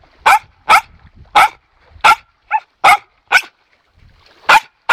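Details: Dog barking with anticipation and delight while being taught that silence earns the toy: nine brisk, punchy barks in five seconds, one shorter and softer mid-sequence, with a brief pause before the last two.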